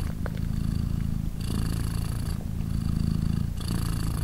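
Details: Polina, a British Shorthair mother with three tiny 3-day-old kittens nursing, gives a thick, low, vibrating purr. The rumble holds steady throughout, shifting in tone with each breath about every one to two seconds.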